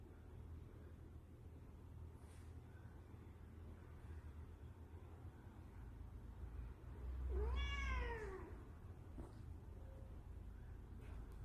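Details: A Scottish Fold cat teased with a dancing mackerel fish toy gives a single clear meow, rising then falling, over a steady low rumble.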